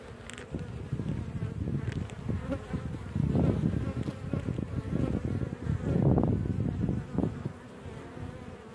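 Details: Honey bees at their hive entrance in sunshine make a low, steady droning buzz that swells and fades as many fly close by, with a wasp also present.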